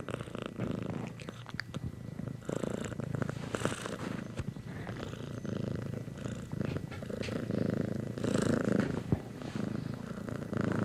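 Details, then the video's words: Long continuous purr from a cat, a low rumbling throb rising and falling with inhaling and exhaling. The pulsing rhythm is fast and uneven, with occasional sharper clicks layered over the rumble. "Cats - No Copyright Sound Effects"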